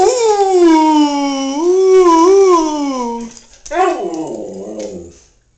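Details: Howling pet male Siberian husky, started off by a person: one sustained clear howl with a gently wavering pitch for about three seconds, ending in a lower falling moan that fades out.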